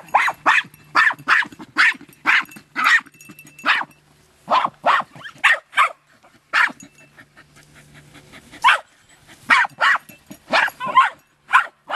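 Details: Jagdterriers Luco, a two-year-old female, and her six-month-old daughter Effie working an armadillo in hot, dry weather; sharp, rapid barks in bursts, roughly two or three per second, with brief pauses and faint human voices behind.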